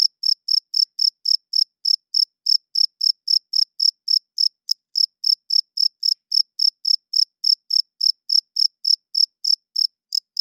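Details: Cricket calling at night with a steady stream of short, shrill chirps about three and a half per second, one tiny stumble midway, otherwise uniform; quiet background with no other animals or people.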